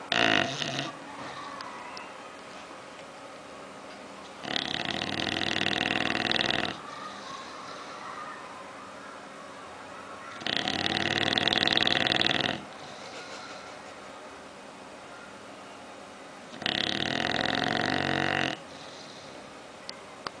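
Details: Oliver the bulldog, asleep and dreaming, snores in regular loud rasping breaths about two seconds long, repeating roughly every six seconds.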